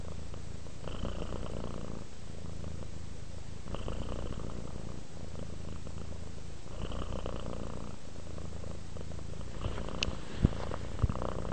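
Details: Calm domestic cat purring, a gentle low drone cycling with its breaths every few seconds, a few light clicks toward the end.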